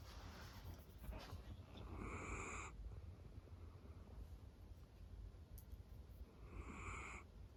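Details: Sleeping on her owner's lap, the female Miniature Dachshund Roro snores in slow rhythm: two hoarse, whistling breaths roughly four seconds apart, with quiet breathing between them and a low indoor hum.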